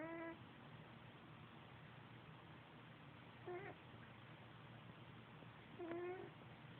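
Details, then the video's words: Sleeping male domestic cat snoring on a bed beside another cat; three short, whistled, slightly rising snores at the start, near three and a half seconds and near six seconds, over a steady low room hum. "the Snoring Kitty"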